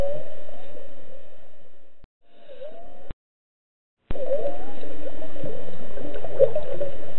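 Whale song of low, wavering moans and swooping tones, broken by abrupt silent gaps.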